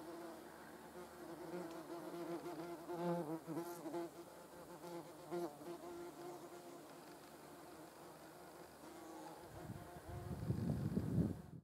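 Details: Near a grooming hornet and yellow jackets, a wavering low buzz pulses in strength, then near the end a loud, rough, deep rush of buzzing swells in abruptly before cutting off.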